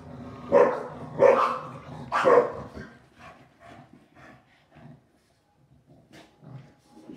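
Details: During an evening play bout after dinner, a Shar Pei and a Boston Terrier give three loud, harsh barks in quick succession. Quieter huffs, grumbles and scuffling follow as the play continues.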